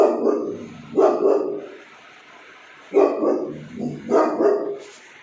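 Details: Boxer and cane corso dogs at play, barking: short, rough barks in loose bursts of two or three, with pauses of about two seconds between groups.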